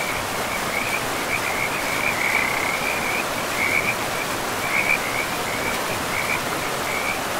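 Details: Forest river frogs giving a steady high-pitched pulsing trill in bursts a second or so long, nearly unbroken, laid over constant hissing flow of river water.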